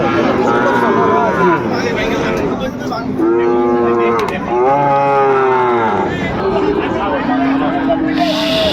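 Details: Sahiwal bull calf at Ambari cattle market, Dinajpur, Bangladesh, 18 November 2024, as trading begins; two long, full moos back to back in the middle, with shorter lows around them over steady speech and market crowd noise.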